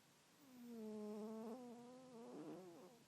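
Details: A female Bengal cat (Felis catus) snores with a drawn-out, tonal, slightly wavering breath.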